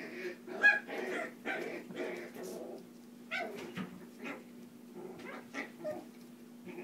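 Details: Foster puppies at play indoors in a small room, giving a run of soft whimpers and short yips in irregular bursts, with a steady low hum throughout.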